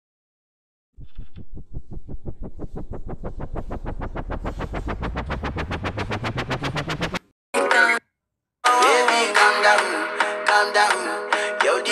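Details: Electronic music: rapid synthesized pulses sweep steadily upward in pitch, then break off into short gaps before a dense beat with layered synth chords takes over.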